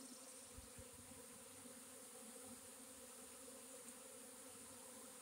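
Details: A swarm of honey bees, recorded April 26, 2021, makes a continuous, even buzzing drone with a low hum and layered overtones and no pauses. A few low thumps sound near the start.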